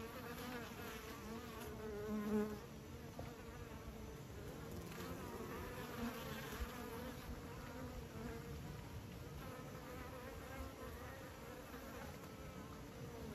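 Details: Kept bees drone steadily for over thirteen seconds, a deep layered hum with a short louder swell near two seconds, otherwise even and unbroken.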